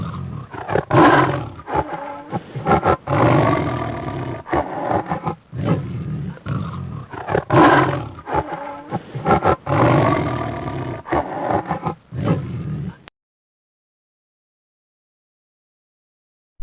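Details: Tiger roaring and growling in a series of deep, rough, pulsing roars over about thirteen seconds, the bursts rising and falling in loudness, then silence.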